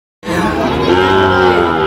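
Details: Sahiwal bull calf at a busy cattle market in Bangladesh, giving a long, steady moo with a flat, sustained tone, surrounded by crowd chatter and background noise.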